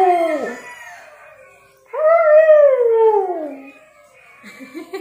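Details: Sleepy Siberian Husky howling: two long, falling howls, the first dropping quickly, the second swelling then sliding slowly downward over about two seconds, followed by a brief softer rising whine.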